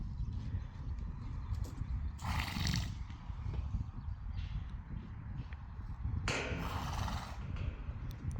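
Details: Friesian horses out in the pasture on a relaxed evening, enjoying being outside again; two loud, rough whinnying bursts, each about a second long, several seconds apart, over steady hoof clip-clop and rustling outdoor background.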